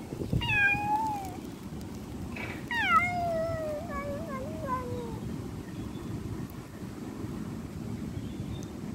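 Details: Street cat meowing: two loud, drawn-out meows, the first short and falling, the second longer and wavering downward, over steady low background rumble.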